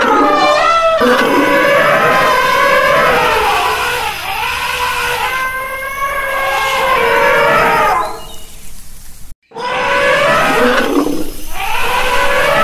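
An elephant gives loud, brassy trumpeting calls that rise and fall, with a brief break near the end.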